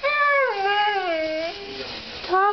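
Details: Demon, a male pet Siberian Husky indoors, 'talking' back to his owner: long wavering harmonic howl-like vowels, dipping in pitch then level, ending with a short rising yelp after a brief pause.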